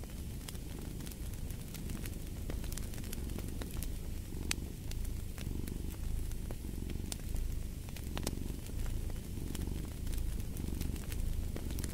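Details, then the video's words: Low, throbbing purring of a cat, rising and falling in gentle cycles every second or two, beneath the constant hiss and scattered loud pops of a crackling fire. "Fall asleep to the Purring of a Cat & Fireplace"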